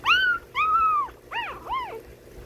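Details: One-week-old Shih Tzu puppies, 22 March 2025: four clear squealing whines, the first two long and level-topped, the last two shorter and arched, against a faint low hum.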